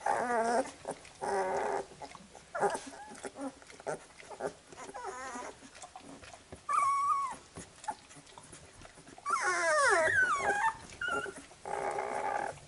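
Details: While their mother cleans them after nursing, Labrador Retriever puppies let out repeated nasal whines and wavering squeals. Around the tenth second comes a louder burst of overlapping, sliding cries, with licking and shuffling sounds between calls.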